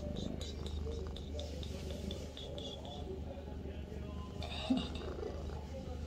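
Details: Avi, a pet cat, purrs in a bathroom: a continuous low vibrating drone, with brief higher chirps and a sharp knock near the end over the rumble.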